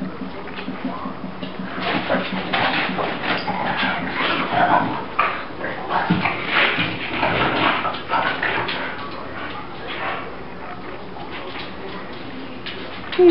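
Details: Indoor Bulldog named Riddick in a crazy morning roll on his favorite bed, mid-tantrum: a long run of raspy snorting grunts and brief whimpers, rising and falling in clustered bursts, with faint music and occasional human voice.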